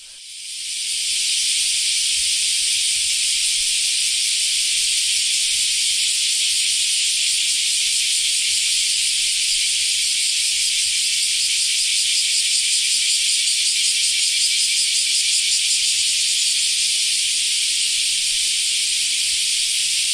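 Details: In Japan in summer, after the rainy season has ended, a chorus of common cicadas (semi) gives a dense, steady, high-pitched hiss that holds without a break.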